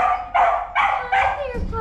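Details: Puppies in a pile giving high, tonal whines and yips in short bursts about every 0.4 seconds, each with a bright harmonic stack, while a person talks softly nearby.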